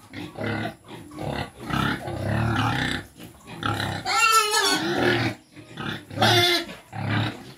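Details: Native Quezon black pigs at feeding, a run of deep rasping grunts roughly every second, broken by two sharp high wavering squeals, one midway and one near the end, with rural farmyard background.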